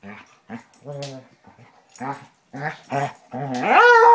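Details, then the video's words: Two Basset Hounds, Tracker and the new puppy Ranger, rough housing in play: a run of short, low, throaty grunts and growls in separate bursts, ending in a louder, drawn-out whine that rises and then holds. "Basset Hounds playing"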